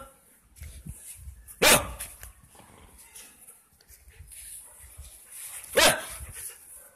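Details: Drogo, a friendly, playful five-month-old double-coated male German Shepherd settling into his new home, gives two sharp, loud barks about four seconds apart, with quiet household noise between them.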